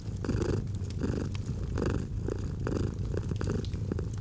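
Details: Domestic cat purring by a fireplace in cozy autumn ambience; continuous low rumbling purr swelling in rhythmic breaths roughly every half second, with faint fire crackles.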